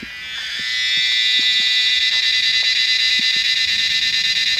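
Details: Numerous tree cicadas call during the Himalayan monsoon rains, a cacophony typical of the mountain rainy season. An intense, high, pulsing buzz quickly rises to full volume and holds steady, with scattered faint ticks.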